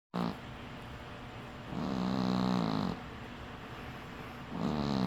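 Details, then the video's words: Sleeping cat snoring: two long, raspy breaths with a low buzzing rumble, the second swelling louder for over a second before fading. "Cat Snores"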